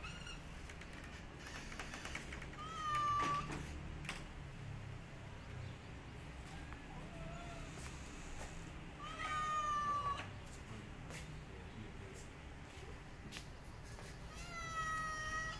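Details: Mother cat protecting her kittens from a white cat, giving three long, drawn-out tonal yowls spaced about six seconds apart, with a steady low background rumble between them.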